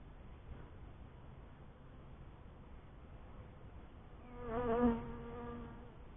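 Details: Honey bee at a first hive: one close buzzing pass, a droning hum with stacked overtones that swells for about a second and a half, then fades over a low background rumble.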